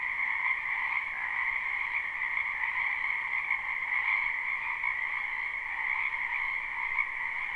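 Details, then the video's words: Frogs chorusing in a backyard wetland during spring, live and unlooped: steady overlapping trills form a seamless drone, a high shrill layer above a lower one, swelling slightly at moments. "Ambient Noise for Sleep Frogs"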